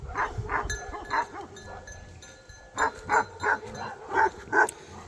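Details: Bhote Kukur, the Nepali mountain dog named Tiger, in Nepal, which comes out barking only when dangerous wild animals such as leopards or wild boars approach; bursts of barks in two clusters with a quiet gap between.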